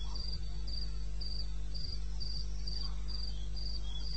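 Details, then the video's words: At 02:30 on a May night in the wilds of eastern Botswana, a cricket keeps up an even series of brief, high trilled chirps, several each second, with a steady low rumble beneath. "1 Hour cricket sound-Africa-No loop-Real recording"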